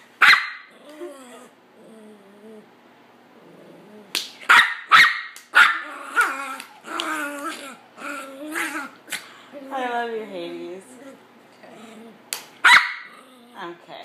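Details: Getting involved after witnessing abuse, Hades the dog mixes sudden loud barks with wavering whines and throaty grumbling growls, in bursts across fourteen seconds; faint human voices are heard in the background.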